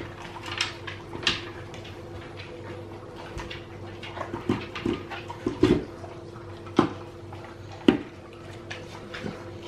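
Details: Hungry male Alaskan Malamute begs for food indoors at mealtime, giving sparse short whimpering yelps about a second apart, loudest near the middle, over a steady low room hum.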